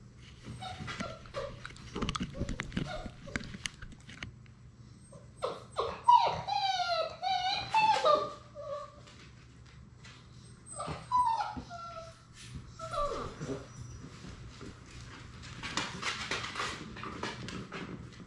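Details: Six-week-old Labrador Retriever puppies playing together indoors: high, wavering whimpers and short yips rising and falling, scattered squeaks, with thumps and shuffling noises throughout.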